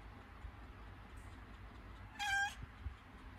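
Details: A domestic cat in labour, having contractions before giving birth, gives one short, clear, steady-pitched meow lasting about a third of a second, with rich harmonics, against a quiet indoor background hum.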